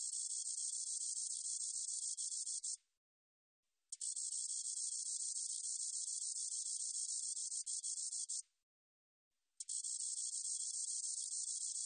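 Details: Spotted meadow katydid, from a 2020 National Institute of Biological Resources recording, sings a continuous high, hissing buzz made of rapid fine pulses, broken by two short pauses of about a second each.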